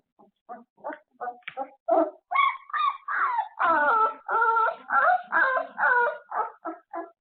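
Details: After an afternoon nap, puppies on a surveillance camera start with short yips that build into long, drawn-out wavering whines close to a small howl, each held for about half a second.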